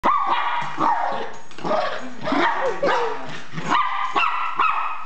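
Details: Zeus, a Miniature Pinscher, frightened by an RC car, gives a run of sharp, high barks, several bursts close together with short rising yelps between them.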